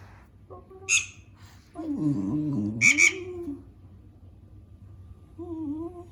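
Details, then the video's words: Dog at home complaining about a cat mouse game on a tablet; bright squeaks from the game bracket a long, low, sliding groan, followed later by a brief wavering whine. "My Dog Complains About Squeaking Sound of Mouse Game for Cats"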